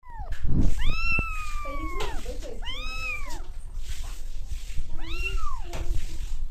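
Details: Domestic cat meowing indoors: three drawn-out, arching meows, the first long and sliding downward, the others rising then falling, spaced about two seconds apart, with low background rumble.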